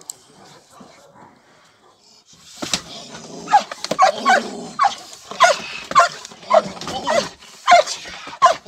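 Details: Perro de Presa Canario Nadja de la Arena working a decoy in protection dog training. After two quiet seconds, loud, rough barks burst out irregularly over a broad hiss of background noise and scuffling.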